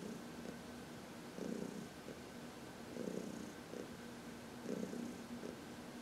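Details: Contented purring from Heidi, a 14-year-old cat from the Humane Society of New York City, massaged in the sun; gentle low hum punctuated by fuller throbbing bursts around every one and a half seconds.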